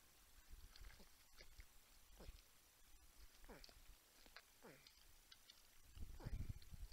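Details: Porcupines at a Texas wildlife camera in San Angelo hum with repeated descending whines, roughly one a second, alongside low grunting thumps that grow louder near the end.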